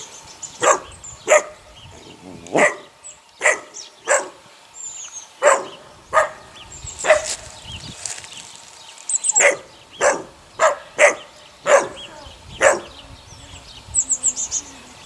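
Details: Six eight-week-old puppies of a neighbour's dog named Sunny yelp in a rapid string of short, high, sharp barks, about a dozen bursts over fifteen seconds with faint background hiss.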